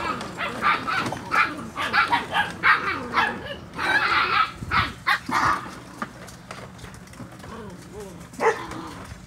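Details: Poodle Ember, daughter of DeeOhGee, barking indoors because she wants to be in with a 7-week-old litter of puppies; a run of sharp, repeated barks and yips in quick bursts, with a person's voice telling her to be quiet.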